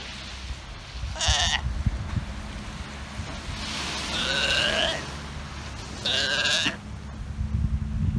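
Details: Sea lions on a Galapagos Islands shore, a grumpy father and his hungry pup that woke him from a nap: three harsh, bleating harmonic calls, short, then long, then medium, over a steady low rumble of surf and wind.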